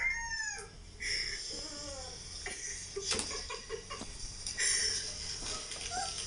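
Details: Siberian Husky puppy whining while two Labradors, Maddie and Roxie, react; thin high whines and squeaky rising cries come in short bursts, with people talking nearby.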